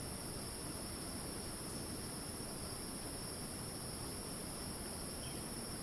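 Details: Rainforest cicada in Ton Pariwat wildlife sanctuary, Phang-Nga province, Thailand, giving a continuous shrill screech that never breaks, layered high tones over a dense background hum of the forest.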